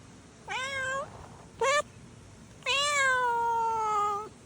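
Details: Stray kitten giving three meows: a rising mew, a short sharp one, then a long drawn-out cry that slowly falls, all clear and harmonic-rich against quiet background.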